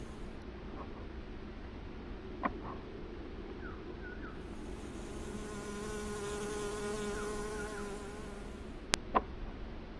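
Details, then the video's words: {'caption': 'Honey bee collecting nectar at flowers. A soft droning buzz swells in the middle for a few seconds, then fades. Scattered short bird chirps and a couple of sharp clicks sit over a quiet outdoor background.'} "Honey bee getting honey from flowers"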